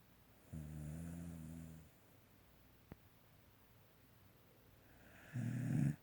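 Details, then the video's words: Sleeping pet dog gives two low rumbling snores, one lasting over a second early on and a louder one at the end, separated by quiet breathing and a faint click. "My dog snoring"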